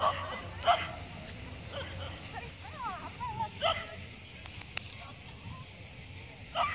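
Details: Shiba Inu named Snowflake at the Luhe Cup agility dog competition in Taiwan, jumping class, filmed 8 December 2015: a few sharp barks spaced irregularly, with faint whines and background crowd murmur and speech.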